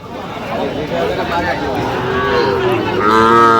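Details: Sahiwal cattle at a cattle market in Chattogram, Bangladesh, on 31 October 2025, where a bull calf is being bought. A continuous crowd murmur swells into a loud, drawn-out harmonic moo in the final second, with people talking throughout.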